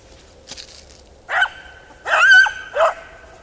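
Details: Beagle Harrier in a ploughed field: a short bark, then a longer sustained, slightly wavering bay, followed by one more quick bark, over faint background rustle.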